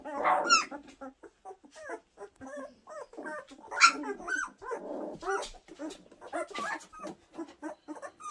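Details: Puppies from April and Enno, two weeks old, giving short squeaky whines and yips in irregular bursts, a louder squeal at about four seconds, gaps of quiet between cries and faint rustling movement.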